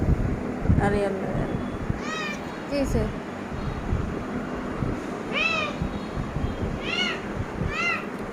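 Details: Cat outside a room with a closed door, trying to get in, gives a series of rising-falling harmonic meows, about five over eight seconds, some in quick pairs, while people talk nearby.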